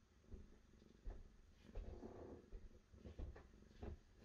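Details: Deep rhythmic purring from a cat, strong low throb rising and falling about twice a second with soft rustles over it.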